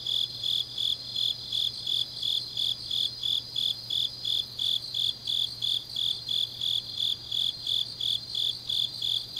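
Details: Autumn night chorus of grass insects in Changnyeong, South Korea, with a rhythmic, high-pitched chirp repeating roughly three times per second above a constant thin background trill and a low steady hum.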